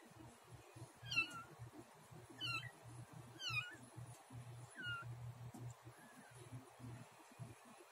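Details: Cat named Luna just after giving birth to a kitten named Snow, while eating the placenta; four high, downward-curving meows in the first five seconds, then a fainter one, over steady low rumbling background noise.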